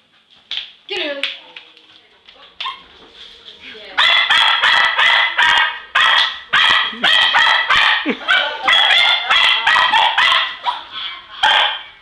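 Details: Hurley, a pet English Cocker Spaniel, excitedly chasing Christmas balloons indoors; a few scattered yips early on, then a long, steady volley of loud, high-pitched barks repeating roughly every half second.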